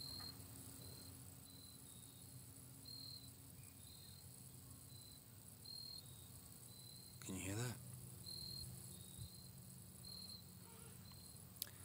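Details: Crickets chirping at night outside a hometown, heard live; steady high pulsed chirps in short repeated bursts, with a brief burst of noise near the middle and low background hum.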